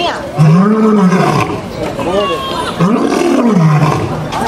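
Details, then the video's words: Captive lion roaring at the Bronx Zoo in the USA: two deep, arching moans, each rising then sliding down over about a second, separated by a short pause, with visitors' voices murmuring underneath. "Lion king’s Roar at Bronx Zoo"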